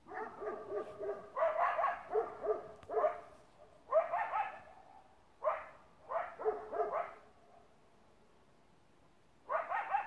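A Great Pyrenees barks in loud, rough bursts, trading calls with a coyote.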